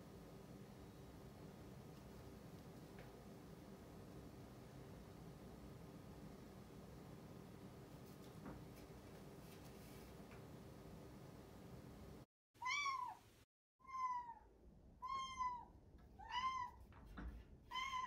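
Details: Rucola, a one-year-old rescued white-and-grey tabby cat, meows at her owner working in a separate room indoors. Quiet room hum for twelve seconds, then a rapid run of six short, bent meows with rich overtones, about one per second.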